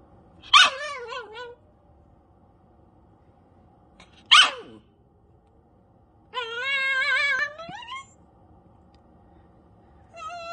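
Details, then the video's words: Pet dog screaming at a cat indoors; two short sharp shrieking yelps, then a long wavering high-pitched scream lasting nearly two seconds, and another starting at the end, with quiet between. "my dog screaming at my cat"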